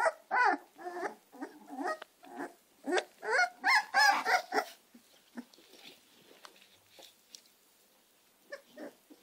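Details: Two American Staffordshire terrier puppies, Gina and Zeus, yelping in quick, uneven bursts for about five seconds, sharp pitched cries stacking up, then fading to faint occasional squeaks.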